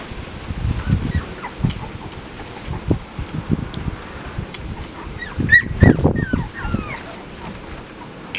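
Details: Young puppies tended by father Max while mother Whitney rests, near feeding time, 10 September 2015; brief rising and falling squeaks and yips, clustered around the middle, over low bumps and shuffling.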